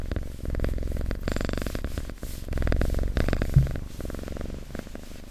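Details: Cat purring close up, a soft low rumbling drone pulsing in breath-linked waves, fading slightly toward the end, with a small bump of handling noise.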